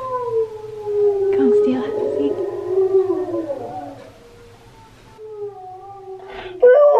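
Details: Husky singing, with Key the husky listening. Steady, long howl-like tones waver gently for about four seconds, then a softer held note follows. A sharp higher yelp cuts in at the very end.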